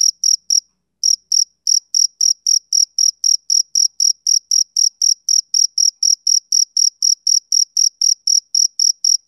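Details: A male cricket chirps on a summer evening. A few quick chirps, then a short gap, then a long unbroken run of sharp, high trilled pulses at about four per second. Nothing else is audible.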